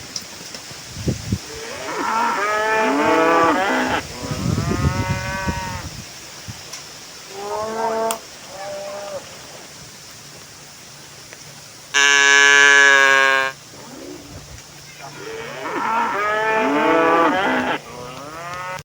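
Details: A herd of tame village cows returning to the pen, lowing repeatedly: several overlapping moos of varied length, one very loud, steady bellow midway, then more drawn-out calls toward the end.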